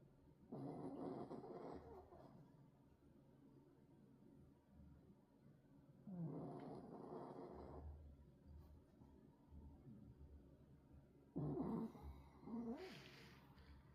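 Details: Pug snoring: three long, rough, rasping breaths with a low rumbling core, each lasting one to two seconds and coming about every five seconds, with quiet pauses between.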